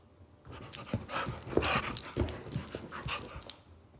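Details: Zou Zou, a 9-week-old female Shih Tzu puppy, wrestles with her first friend Lola, a pit bull, indoors. Short noisy huffs and scuffling bursts cluster mid-clip, loudest around two and a half seconds, with quiet breaths between.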